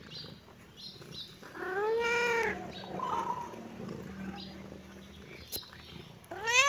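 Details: A kitten, reacting to the camera, gives a drawn-out arched meow, then a short higher mew, and another rising meow starts at the end; soft low hum and a sharp click in between.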